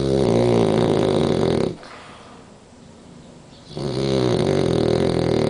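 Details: French Bulldog named Danko snoring during an afternoon nap with one eye open: a loud, rattling snore of about two seconds, a quiet pause of roughly two seconds, then the harsh, throaty snoring returns.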